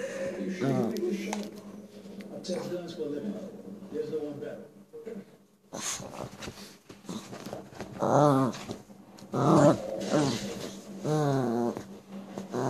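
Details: Lhasa Apso puppy misbehaving indoors in a small room, giving low, wavering growls and whimpers in short bursts, mixed with people talking over it.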